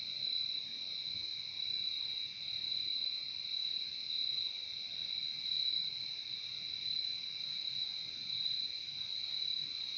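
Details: Many crickets trilling together in an unbroken high, shimmering drone with a softer lower tone beneath, the intensity rising and falling slightly every second or two. Quiet background otherwise.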